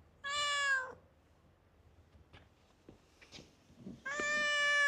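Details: Stray cat in a Japanese park that talks a lot, giving a short bright meow, then quiet with soft scattered clicks and rustles, then another loud, sustained harmonic meow rising at the end.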